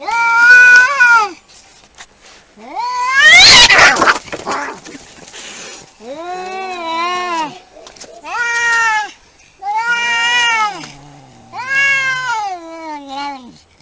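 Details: Quarrelling cats trade a series of wavering yowls, roughly one every two to three seconds, with a harsh noisy hiss-like burst early on and a low growling dip near the end.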